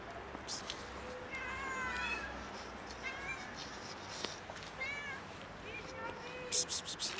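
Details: Hungry kitten arriving where a cat rests on a car, its thin wavering meows partly buried in steady background noise, with clicks and a few sharp rattles near the end.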